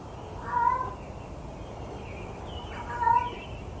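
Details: Stray cat at 6 am giving sad meows: two drawn-out, tonal, mid-pitched meows about two and a half seconds apart, each slightly wavering, over a steady low background rumble and hiss.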